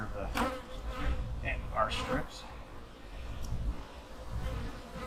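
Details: Honey bee colony in a managed hive during autumn hive preparation for winter: a low, steady droning hum fills the clip, with a few brief handling knocks and short bursts of a person's voice over it.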